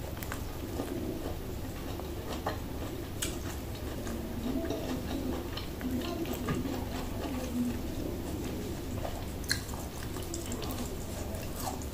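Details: Indoor chewing and biting noises from a kitten eating broccoli, with faint speech and low room hum; no meowing or other animal voice.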